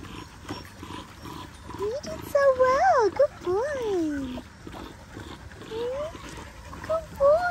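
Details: Australian cattle dog puppy Linc at paddock playtime with the big puppies, giving drawn-out arching whines that climb and fall, two long ones in the middle and shorter rising cries near the end, over background chatter.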